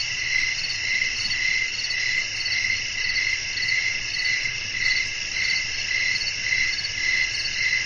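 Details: Night crickets singing in a relaxing natural setting with a light wind. The high, layered, ringing chirps pulse rhythmically, about twice each second, and a soft low wind murmur runs beneath them.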